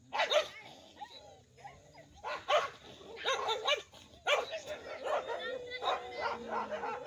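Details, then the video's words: Two groups of village dogs in a dangerous fight: clusters of loud, rough barks and snarling yelps come in bursts a second or two apart, with a thin, sustained whine beneath the later barks. "कुत्तों के दो गुटों में सबसे खतरनाक लड़ाई । Village Dog🐕 Dangerous Fighting।"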